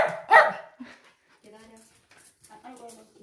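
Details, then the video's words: Excited Schnauzer barking on grooming day: one sharp, loud bark at the start, followed by softer, whining voiced sounds and faint background noises. "설레서 냅다 짖는 댕댕이"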